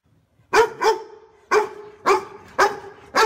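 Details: Dog barking loudly to guard the house: six deep, full, harmonic barks, some in quick pairs, spread over about three seconds with short quiet gaps between them.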